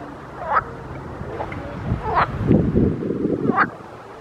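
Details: In a pond, frogs call with sharp rising croaks about a second apart, while a lower, rattling burst of croaking swells in the middle.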